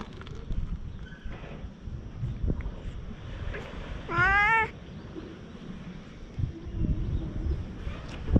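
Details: Stray cat on a Japanese cat island, filmed on a GoPro: a single loud, harmonic meow near the middle, sliding up then falling, over steady low outdoor rumble and scattered faint noises.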